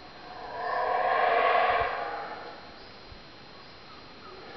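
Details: Howler monkeys at the Mayan ruins of La Milpa, Belize, giving a single drawn-out rasping roar that builds over a second and fades away, followed by quiet background with faint knocks.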